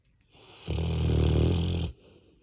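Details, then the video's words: Labrador Retriever dozing on its owner, giving a single drawn-out, deep, buzzing snore lasting over a second in a quiet room. "When Your Labrador Sleeps on You… and Starts Snoring"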